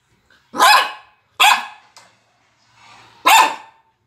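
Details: A Maltese dog barks while watching YouTube, giving three sharp, high-pitched barks, each short and clipped, with pauses between them.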